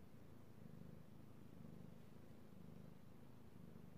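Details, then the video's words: Domestic cat purring while petted, recorded 16 March 2018; short stretch of low, throbbing rumble with roughly one pulse per second. "ASMR Cat Purring"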